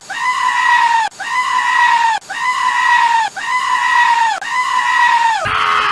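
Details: Goat giving loud, harmonic, scream-like bleats, five near-identical cries about a second long, each steady then dropping at the end, ending with a brief harsh burst.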